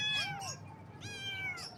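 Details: Baby kittens in the morning: two high, wavering meows, each sliding downward, the first short and the second longer and drawn out, with faint background rumble.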